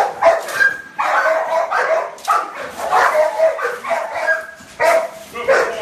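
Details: Staffordshire Terrier in working protection training, barking hoarsely in fast bursts of several barks separated by brief gaps, loud and strained throughout, with a voice faintly audible beneath.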